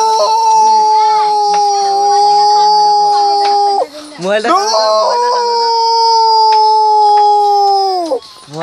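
A dog gives two long, steady howls, each ending in a brief downward slide.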